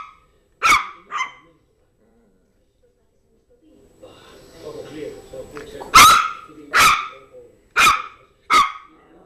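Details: Yorkshire terrier Zizel at play with her new mouse toy; two quick yaps, a pause with low rumbling, then four loud bright barks in fairly quick succession.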